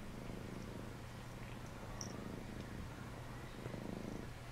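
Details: Phoebe gives Phluffy a bath while a cat purrs continuously, a deep, even, rhythmic rumble with only a faint high click and no other clear sounds.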